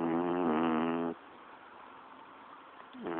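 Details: A pet's standard snore: a loud, buzzy, harmonic inhaled rasp for about a second, a quiet pause, then the next snoring breath starting at the end.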